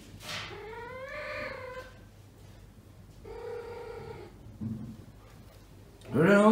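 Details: Asia, a young female domestic cat in heat, still too weak for neutering, roams a home of neutered cats seeking a mate; two long, drawn-out, slightly rising yowls with rich harmonics, a short low grunt, then a sudden loud harsh burst.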